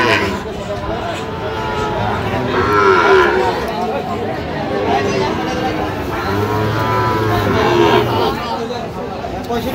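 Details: Sahiwal bull calves for sale at the Ambari market, Dinajpur, Bangladesh, on 17 October 2025. Two long, wavering moos about four seconds apart rise above the low rumble of a busy market crowd and nearby talk.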